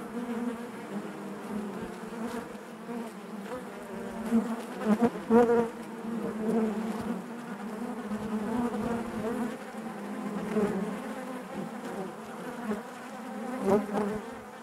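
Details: Hive interior full of honey bees, a thick unbroken buzz with a deep droning base and overtones above, occasional sharper clicks and louder bursts breaking through the even hum.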